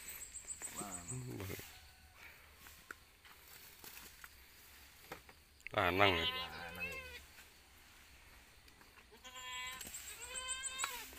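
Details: Goat kids newly born on a small village farm in Pacitan regency utter several trembling, wavering bleats, one loud and quivering mid-way, while people chat close by.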